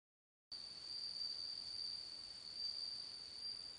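A bell cricket sings a steady, high, ringing trill that barely wavers.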